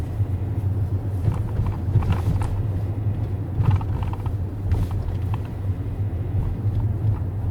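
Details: A steady low vehicle rumble fills the recording, with faint clicks and thumps and no animal voices.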